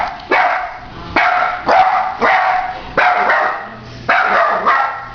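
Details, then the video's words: Three-legged dachshund indoors, hopping about with one leg in a cast, barking at a plumber it does not like downstairs; six sharp, loud barks spaced roughly once a second, each with a brief ringing tail. "Three legged dachshund barks at plumber"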